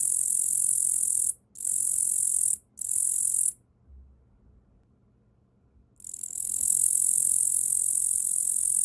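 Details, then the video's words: Captive katydid Tettigonia orientalis named Yaburaien, raised from a small nymph caught in early spring, singing on a person's arm: high, dry buzzing trills in two short bursts, then a pause and one long continuous buzz. "イケメンのヤブキリの鳴き声 - Sound of Katydid - Tettigonia orientalis"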